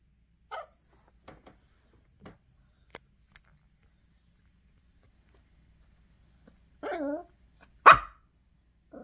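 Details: Small Yorkie Chloe fusses over a tissue box beside the bed, wanting to chew the paper; scattered soft clicks and sniffs, then a quavering whimper and one loud sharp bark near the end.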